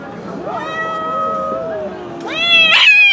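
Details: Stray cat living on the street gives a long, drawn-out meow that slowly falls in pitch, then a louder, rising, bright meow at the end, with a person talking quietly nearby.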